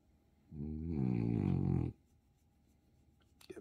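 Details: Bob, a two-year-old blue French Bulldog, vocalises indoors while receiving attention: a low, harmonic groaning moan lasting about a second and a half, rising slightly then holding steady before stopping abruptly, in a quiet room.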